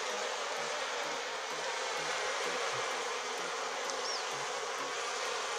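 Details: A wild swarm of Africanized honey bees, caught in a bait under a stone and already building comb, gives a steady, dense hum after being smoked.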